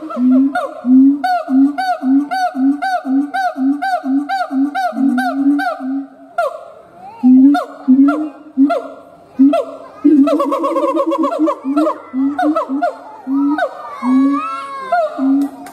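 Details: Siamang gibbon howl: evenly spaced honking hoots for six seconds, a brief lull, then louder irregular bursts and rising, squealing whoops toward the end.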